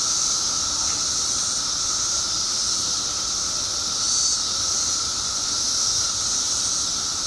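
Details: Billions of periodical cicadas emerging in Illinois after 17 years underground: a dense, unbroken hissing chorus, high and steady, with a second sustained lower whine beneath it and a brief swell near four seconds.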